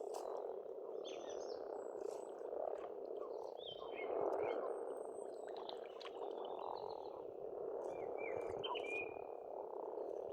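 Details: Many frogs croaking together at a pond in spring on an Estonian farmstead, a dense, unbroken rattling chorus in a low-middle register, with bright chirps and whistles from songbirds scattered above.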